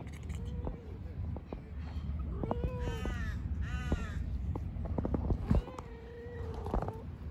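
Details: Kittens living and playing in a park give a few short arched meows, rising then falling, bunched together midway, over a steady low rumble with scattered clicks and taps.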